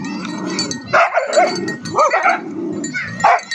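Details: Tibetan mastiffs, known locally as Bhote Kukur, named Love and Dorje, recorded on 22 November 2023. There are a few deep, gruff barks with rising and falling tonal parts, spaced about a second apart, over a steady background hum.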